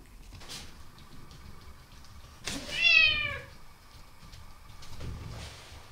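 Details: Pet cat turning five on Cat Day, 22 February, given treats, cat food and cake. It gives one drawn-out meow that slides down in pitch midway through, with faint room rustling before and after.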